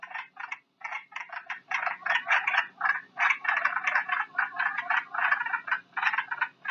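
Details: Chuckling calls of wood frogs played as a recording: a dense chorus of short, hoarse, clucking notes in irregular bursts, several per second, overlapping like low duck-like chatter.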